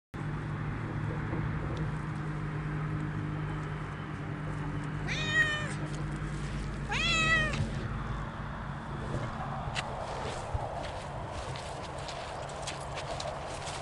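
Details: Siamese cats Otani and Yozora, off-leash on a sunny autumn walk through a meadow with big stones, give two clear harmonic meows around five and seven seconds, the second rising and longer, over steady low outdoor rumble.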